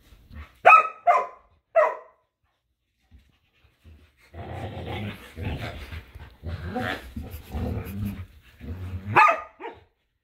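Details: Two dogs, a Samoyed and a Keeshond named Luma and Zuko, battle over a squeaky hedgehog toy in a yard in winter; three sharp ringing barks open, then low rolling growls, and a final bark near the end.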